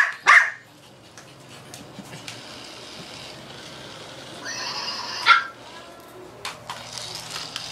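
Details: Female Shih Tzu playing with a toy she fears, giving a single sharp bark, a long quiet stretch with faint rustling, then a second short bark midway, followed by soft scattered noises.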